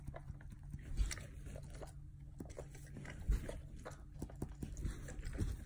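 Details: A pet dog licks and chews vigorously at its backside, producing uneven wet slurps and crunching bites, about one every two seconds, with heavier thuds near the first and third seconds against a faint steady hum.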